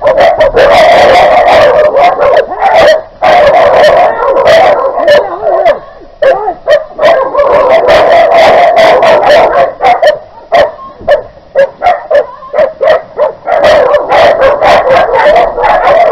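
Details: Dog attack on 20 August 2018 in front of a property in Küstrin-Kietz, Oderbruch, Brandenburg, near the Polish border: an unleashed, free-roaming Newfoundland attacks a leashed Keeshond. Loud, sustained wailing yelps are broken by sharp barks, with brief gaps between bursts.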